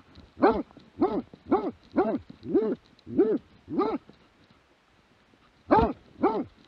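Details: Plott hound recorded in 2017 gives a steady series of about seven rough, hoarse barks roughly every half second, then a brief silence and two more barks.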